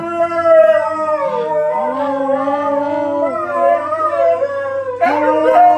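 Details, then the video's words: Pair of household dogs joining in with the M*A*S*H theme song, giving sustained, mournful howls that slide down and then climb again, voices layered in harmony, with a sharp rise in pitch near the end. "M*A*S*H - The Howling...Again"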